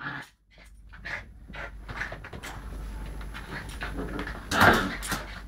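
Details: Young Lakeland Terrier at play with a Lakeland x Patterdale terrier, captured by mobile phone: breathy panting and soft grumbles build to one loud, rough growl-snarl near the end.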